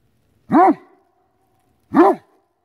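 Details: Maverick the Great Dane, hunting a chipmunk hidden in a tree, gives two loud, deep, booming barks about one and a half seconds apart, with near silence around them.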